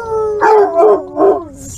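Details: Basset hound howling: a long, steady, slightly falling tone swelling in three loud pulses over under two seconds, ending in a faint hiss.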